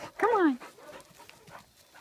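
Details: A dog named Clancy playing in a field gives one short harmonic whine that rises briefly and then slides downward, while a person talks encouragingly nearby.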